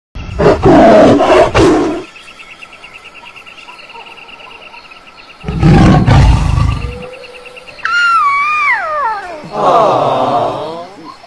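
A lion gives deep, rasping roars in several loud bursts, broken by a wavering, sliding whine and a faint steady hum.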